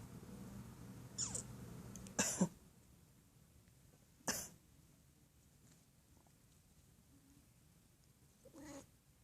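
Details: Pet cat worried about its owner, meowing at every human cough: two sharp coughs from a person, then a single short, soft meow peep near the end, over a low background hum.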